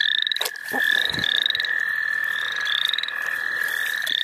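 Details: A frog chorus in the St. Olaf College Natural Lands during frog catching: a bright continuous trill with short rising chirps repeating over it and a few soft thumps.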